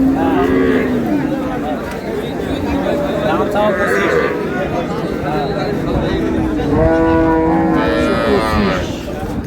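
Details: Cows and calves at Ambari cattle market, with bargaining speech over prices and milk yield; low drawn-out moos rise and fall through a busy crowd of voices.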